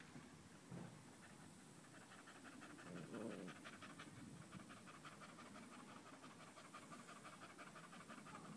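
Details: Danco, a dog stuck close to a leg on 05.08.2013, heard panting hard: regular hissing breaths about three per second, steady to the end, with a low thud or two early on.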